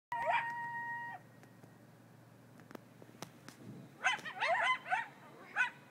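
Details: Coyotes in Griffith Park howling, sounding as if something were being killed: a long wavering tonal howl for about a second, a pause with faint clicks, then a burst of rapid high yips and squeals.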